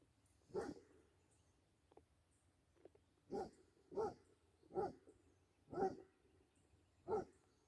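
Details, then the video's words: A Basset Hound playing with a deer, giving deep, gruff single barks, six in all, spaced about a second apart, with soft rustling between. "Basset Hound Playing With Deer."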